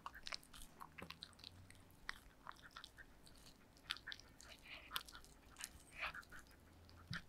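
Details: Yulman, a pet dog, eating cake in a small indoor room. Quiet sticky chewing and lip-smacking clicks come in an irregular stream of crisp ticks over low background hiss.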